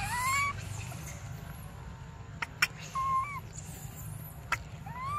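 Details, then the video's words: Infant monkey Briar begging for milk: three drawn-out tonal whimpers with slight upward bends, separated by sharp knocks and thumps against a low droning background. "Desperate Baby Briar Cries For Milk"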